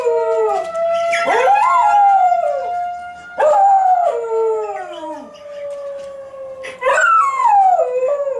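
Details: A Schnauzer howls along in long, wavering, falling wails against the steady drone of a monthly tornado warning siren test.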